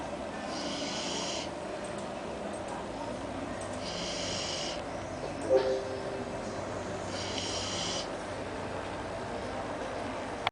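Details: Malú, a Labrador Retriever, asleep at the foot of the table; hissing, breathy snores recur about every three to four seconds over a constant background hum.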